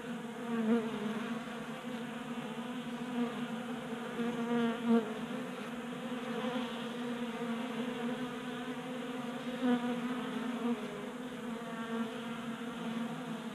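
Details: Crowd of honey bees feeding from a 3D-printed feeder in a garage, Colorado, January at 60 degrees; a steady buzzing hum rising and swelling at moments, with a few faint knocks.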